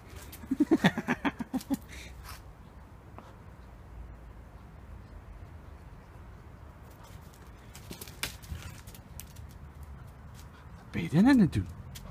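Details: Halo, a male Samoyed of seven and a half months, barks to get someone to play with him: a quick run of short, tonal yaps in the first two seconds, then quiet, then one louder rising-and-falling bark near the end.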